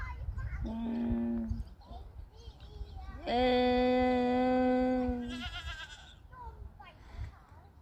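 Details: Goat on a farm bleating: a faint short call first, then a loud, sustained, steady-pitched nasal bleat of about two seconds. A rougher trailing sound follows, with background chatter throughout.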